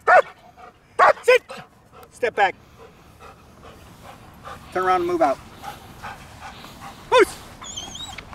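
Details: During protection obedience training, jet black German Shepherd Milo barks in short loud bursts, some doubled, mixed with a man's voice giving commands and a faint bird whistle near the end.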